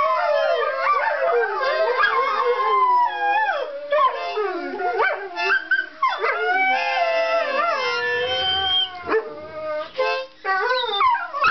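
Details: A greyhound chorus of four dogs set off by harmonica playing: tangled, sliding howls rise and fall over one another, with brief yips and short gaps as voices drop out and rejoin.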